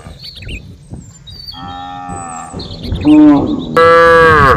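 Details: Cows mooing: a softer, level moo is followed by two louder, rich harmonic moos, the last one long and held. Small birds chirp and twitter throughout.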